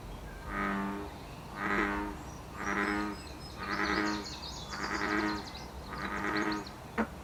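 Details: Six steady, rich, low croaks from a wild American bullfrog, one roughly every second. Recorded during its mid-June breeding season in Canada, with faint high bird twitters overlapping the later notes.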